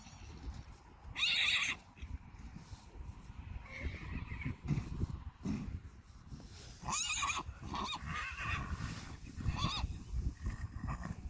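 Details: Friesian horses in spring, 30 March 2019: mares with fillies, one two weeks old, going outside together for the first time. A loud harmonic whinny near the start, another burst of whinnying around seven seconds, steady wind and rumble beneath.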